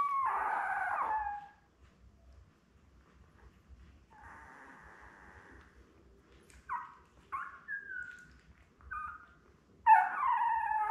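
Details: Week-old Labrador puppies, seven born May 24, 2021 to mother Belle, streamed live on June 4. A wavering cry opens, followed by soft rustling and a string of short yelping squeaks, ending in a louder whine.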